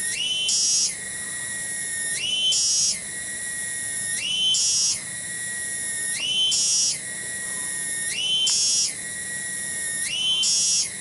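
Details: Garden cicada (tonggeret) at Kampung Bunder in Cibening village, Bungursari, Indonesia, repeating a rising, louder shrill surge roughly every two seconds, each settling back to a steady high buzzing tone; six surges, quiet surroundings.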